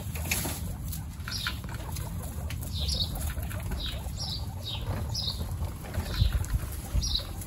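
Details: Guinea pigs at a first meeting with the babies Snow, Pistachio and Pumpkin, in a household of 29. Short high squeaks, each sliding downward, repeat about every half second over a steady low rustling and handling noise.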